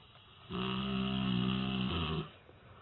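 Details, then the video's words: Dog asleep and snoring: a single steady, humming snore lasting close to two seconds, low-pitched and nasal with a slight shift in tone near the end, followed by quiet breathing. "All Snoring Dog (храп собака)"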